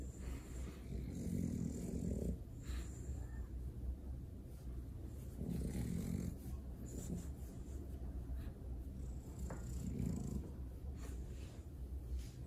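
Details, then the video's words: French Bulldog getting a belly rub, snorting and snoring-like breathing in low rumbling bursts, louder pulses near two, six and ten seconds over a steady low hum. "French Bulldog ASMR | 5 mins of snorts"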